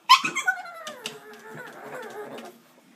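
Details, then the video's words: Indoor pug, intent on getting into an old lizard aquarium, lets out a sharp squeaky yelp that melts into a long, falling, wavering whine lasting about two seconds. "Pug making funny sounds"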